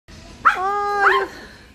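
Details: Giant poodle kept as a pet shop mascot; two short, high, nasal whining yelps, each rising then falling, under a second apart.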